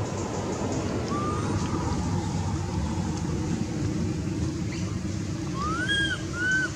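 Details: Under loud rumbling, surf-like background noise, hungry baby monkey Anissa calls her mother with a faint early whistle, then two clear arched coos near the end.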